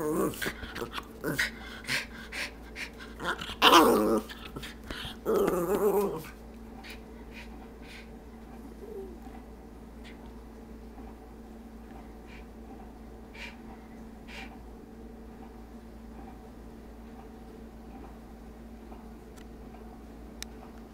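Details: Stormy, a pet dog trying to talk, gives a run of grumbling, moaning vocal bursts in the opening seconds, the loudest a drawn harmonic howl-like moan, then only quiet room noise with faint clicks follows.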